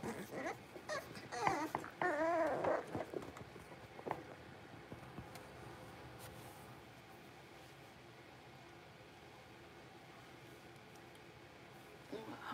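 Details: Six-week-old blenheim Cavalier King Charles Spaniel puppies, five littermates in an indoor pen, give quivering, wobbling whimpers for about three seconds, followed by faint clicks and a long stretch of near silence.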